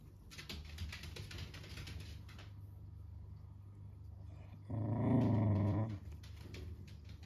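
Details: Pembroke Welsh Corgi mother with 10-day-old puppies jumping around her, growling as a protective maternal warning; one low, rumbling growl of about a second after quiet room noise.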